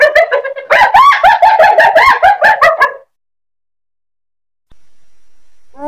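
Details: Hyena cackling in a fast run of short, stuttering laugh-like notes for about three seconds, then silence and the onset of another call.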